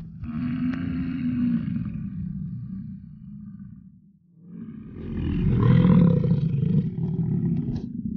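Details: Rutting American bison bull at Yellowstone giving deep, throaty bellows: a long roar that fades and drops nearly silent, then swells again into a louder, rougher roar.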